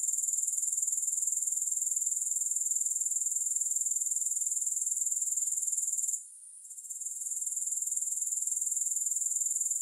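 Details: A dense, shrill insect trill from grasshoppers, evenly pulsed and constant, interrupted once by a brief drop-out after six seconds, then swelling back.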